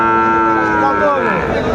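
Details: Friesian bull calves about six to seven months old at the Aftabganj cattle market in Dinajpur, Bangladesh, in April; a drawn-out, low harmonic moo slowly falling in pitch, with a man's voice and market chatter behind.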